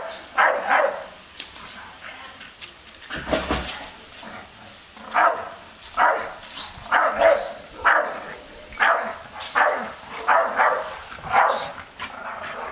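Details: Staffordshire Bull Terrier guarding its garden as an unmasked stranger approaches, barking at danger; deep, harsh barks come in a steady series of about ten, roughly one every second after an early pause, with faint human voices in the background.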